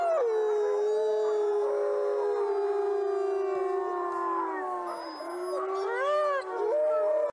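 Several wolves howl together in long, smooth, overlapping tones that waver and slide in pitch.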